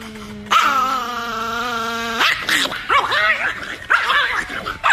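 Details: Nikki, an angry Chihuahua, in a compilation of angry moments: a sustained harmonic whine-like tone for about two seconds, then a run of short, sharp, arching yips and barks at an uneven pace.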